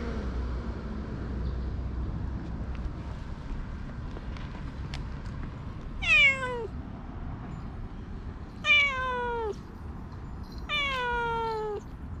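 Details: Two pet cats, an affectionate Ragdoll and a shy Siamese; three drawn-out, falling meows sound about two seconds apart in the second half, over a steady low background rumble.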